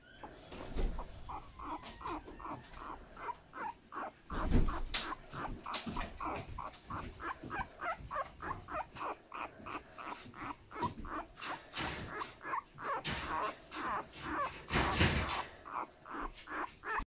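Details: Male Boston Terrier puppy born 12 March 2020 makes a long run of short, rapid whimpering yelps, many per second with uneven loudness, over steady background noise and a few louder thumps.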